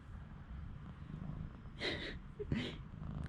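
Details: One-day-old newborn kittens, taken indoors with their mother from an unprotected cage as a snowstorm arrives, give two short high mews about half a second apart over a steady low rumble, with a voice nearby.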